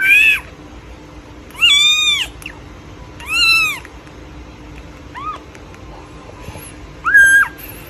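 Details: Playing baby kittens give high-pitched, arched meows, five calls spaced one to two seconds apart, each rising then falling, over a quiet steady background hum.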